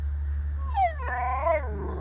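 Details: A male Spinone Italiano puppy, meeting a Shollie dog for the first time, makes a hound-like drawn-out, howl-like whine that slides down, then rises and falls again.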